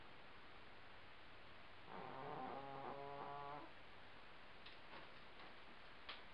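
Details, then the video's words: Indoor housecat snoring loudly: one drawn-out, buzzy, harmonic-rich snore lasting under two seconds, with faint clicks and a quiet room behind. "Loud snoring housecat"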